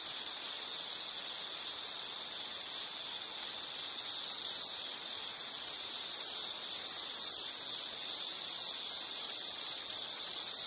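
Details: Shrill insect song, steady at first, then broken into rapid pulsing beats in the second half, growing slightly louder, with nothing else audible.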